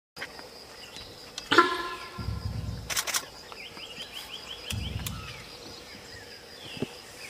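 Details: A sambar deer in Kaziranga National Park, India, gives a single sharp, honking alarm call amid quiet background sounds.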